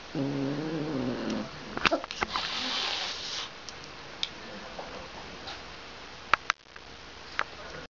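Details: Domestic cat demanding that its toy be given back. It makes a single drawn-out, low, wavering meow lasting over a second. Rustling, knocks and sharp clicks follow.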